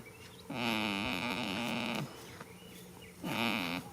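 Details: A goat dozing in a field on the first day of spring gives a sustained nasal snore of about one and a half seconds, slightly quavering, then a pause and the start of another.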